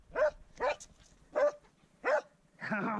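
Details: Swix the dog baying his first wild boar: four sharp, clipped barks spaced roughly half a second apart, then a man's voice speaking praise at the end.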